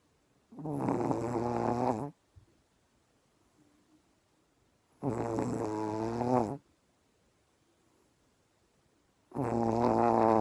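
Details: Three long, buzzy snores from a dog asleep after an early start, each lasting over a second and spaced about four to five seconds apart, low nasal drone with quiet breathing gaps between.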